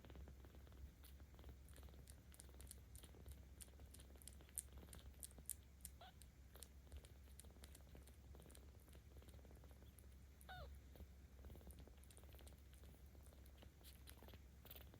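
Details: Baby kitten Aochan, 17 days old, with cat volunteers in Tama City, Tokyo, 10 October 2022, keeps up an unbroken low rumbling purr while petted, plus a brief faint squeak near the end and frequent small rustles and taps.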